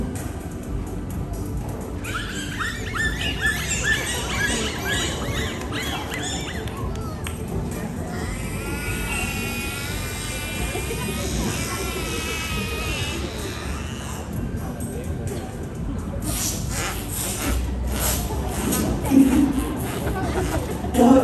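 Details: Bottlenose dolphins in a 2023 SeaWorld Orlando show vocalize through their blowholes: wavering, squeaky whistles and squawks over background music and a murmuring crowd.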